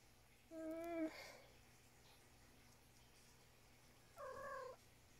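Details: House cat in the morning after eating breakfast, talking non-stop. Two clear meows about three seconds apart: the first falls slightly, the second is higher and flatter. Quiet room hum underneath.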